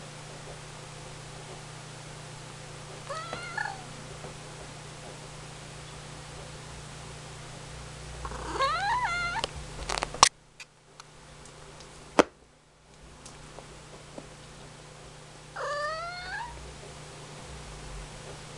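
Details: Ragdoll cat meowing indoors: a short meow, then a louder rising-falling meow with rustling, a brief quiet gap with sharp knocks, and a final arched meow, over steady room hum.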